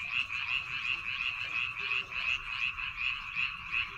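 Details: Frogs calling in rice fields on Baengnyeongdo Island in the Korean countryside: a dense, continuous chorus of pulsing croaks, about three pulses per second, overlapping voices forming a steady trilling wall of sound.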